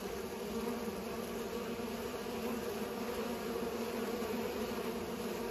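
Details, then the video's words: Pollinating bees give a constant layered drone, a low hum with a brighter overtone just above, unbroken for several seconds with no other sounds. "Bees are pollinating"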